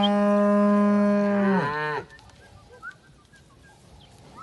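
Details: Simbra cow from a herd of 70 cows with their 70 calves gives one long, loud, steady moo that bends downward and ends after two seconds, followed by quiet background with faint bird chirps.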